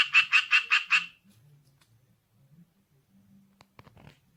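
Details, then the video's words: Tree frog, small but very loud caller rendered 'kue-kwe-kwe-kwe', giving a brief burst of five rapid harsh pulsed notes in the first second, then near silence with faint low rustles and a few soft clicks. "청개구리 울음"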